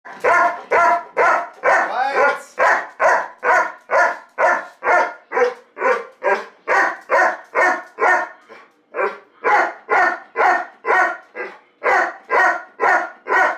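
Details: Reggie, a ridiculously happy Golden Retriever, trying to tell something very important: a long run of loud, evenly spaced barks, about two per second, with one brief gap near the middle.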